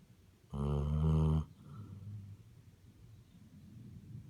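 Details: A Basset Hound produces one buzzing, honking snore close to a second long, then quieter low grunting breaths and a faint rumble.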